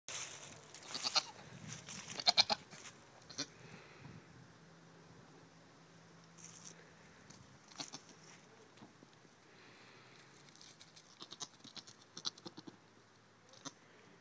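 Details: A young male pygmy goat, about a week old, on a farm gives short, thin, wavering bleats, loudest near the start.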